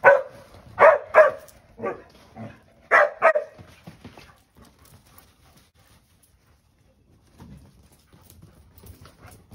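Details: An English Springer Spaniel playing chase and annoying a second springer on a trampoline gives two tight bursts of short, sharp, mid-pitched barks and yips, some whining, then goes quiet amid faint rustling.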